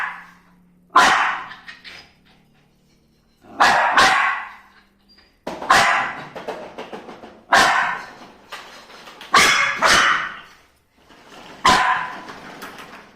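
A dog gives loud, sharp barks in irregular bursts, each followed by a pause.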